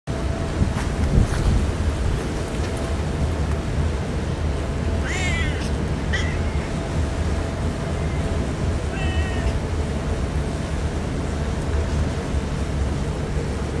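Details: Stray cats crying outdoors on a typhoon day before being fed: three short, harmonic-rich meows, the first two rising then falling, sit under a steady loud low roar of stormy background noise.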